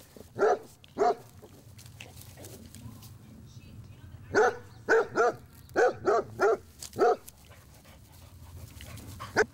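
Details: Pet Basset Hounds greeting a Chihuahua puppy taken in months earlier: two loud barks at the start, then a burst of seven or so rapid, evenly spaced barks, and one last bark at the close.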